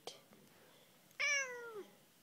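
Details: Pet cat, black and white, that chats with its owner and doesn't like penguins, lets out a loud, strident meow that bursts in high and then slides down, after a quiet stretch with a brief human sound.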